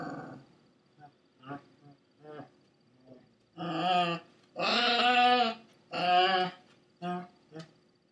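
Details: A Pekingese harassing a Pekingese/Shih-tzu mix gives a few soft, low grumbles, then loud, harmonic barks drawn out almost to whines in three long bursts, followed by a couple of short yaps.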